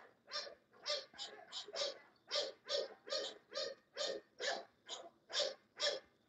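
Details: Steady run of about fourteen sharp, rasping English Bulldog barks, roughly two per second, evenly paced and of similar loudness throughout, with a faint background hiss.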